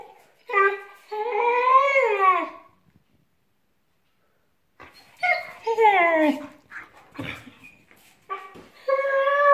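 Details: A male Vizsla, a very communicative dog, sings with long, wavering whines that rise and fall when his pack is together, voicing joy rather than distress.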